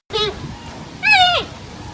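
A giant panda gives two goat-like bleats, a brief one followed by a longer, higher call.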